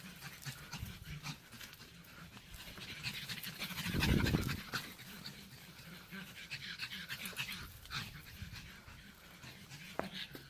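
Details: Pet pug having a hard time, heard as breathy, rapid snorting and panting noises with irregular rhythm, swelling into one louder rough burst near the middle before settling back to soft wheezy breaths.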